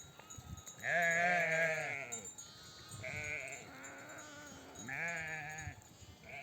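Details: Mother sheep of a nomadic flock, home from pasture, call their lambs to nurse: three long, tremulous bleats, each over a second, some overlapping, with lower answering bleats mixed in and little background noise.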